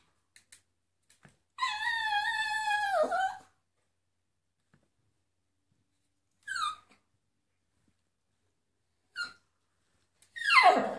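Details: A Miniature Poodle "sings" along to flamenco music, giving a long, wavering howl that slides downward, followed by short yelping bursts.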